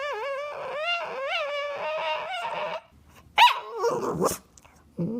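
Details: Pet dog "talking" to its owner with drawn-out, wavering howl-like moans that rise and fall, then a sharp yelp and a short whine, with music and a person asking for a treat around it.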